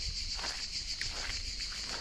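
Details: Cricket chorus deep in a forest: an unbroken, piercing high whine holds steady throughout, over light scuffing footsteps and low ground noise.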